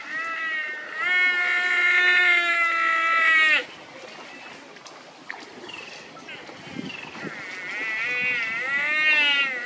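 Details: Buffalo crying loudly while swimming after losing its mother and searching for her. A long, loud, harmonic bawl lasts about three and a half seconds, followed by quieter water sounds, then a second wavering cry rises at the end.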